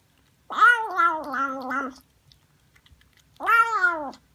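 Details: House cat meowing in a quiet room: one long, wavering meow lasting over a second, a pause, then a second shorter, downward-sliding meow.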